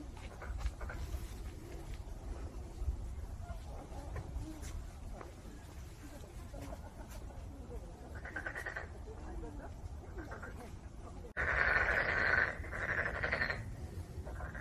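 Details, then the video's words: Black-spotted pond frog giving short bursts of grating, pulsed croaks, a brief one and then a louder, longer rattling run near the end, over steady low rumble with faint scattered clicks. "참개구리 우는 소리"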